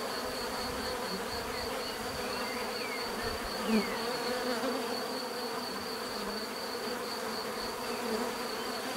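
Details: Continuous buzzing of many bees, a low steady hum with one brief louder close pass near four seconds and faint chirps of birds above; a fine high tone persists in the background.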